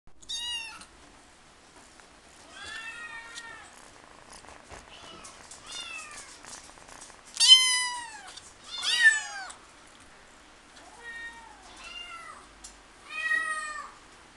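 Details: A Persian cat at a pet shop in Himeji, Japan, meows repeatedly. The meows are clear and falling in pitch, several of them loud and long, separated by quiet pauses.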